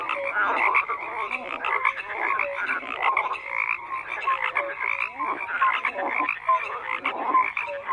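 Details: Frogs croaking together in a dense, overlapping chorus, with pulsed croaks and short rising notes between 500 and 2,500 cycles repeating many times each second, and no other clear sounds.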